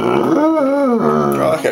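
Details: Bloodhound talking at dinner time while begging for food: a drawn-out, warbling howl-like vocalization that rises and falls in pitch, then breaks into a shorter yodeling moan, indoors.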